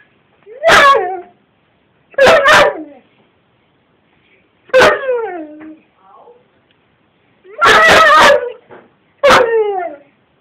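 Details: Gordon Setter dog having a mad moment, recorded on an Android phone; loud sharp barks and yelping howls with falling pitch, in five bursts spaced about two seconds apart, quiet between.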